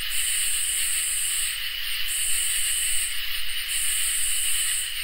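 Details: On a summer night, crickets and katydids keep up a continuous ringing trill while a much higher, hiss-like buzz comes in long pulses broken by short silences, with scattered faint ticks between.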